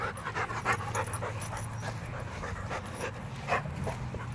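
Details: Rottweiler named Macho panting rapidly, with quick breathy bursts repeating about three times a second, along with a low background rumble and a person's encouraging voice nearby.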